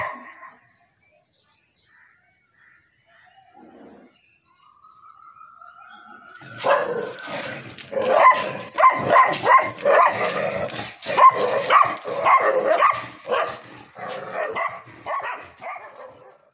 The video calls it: St. Bernard puppy barking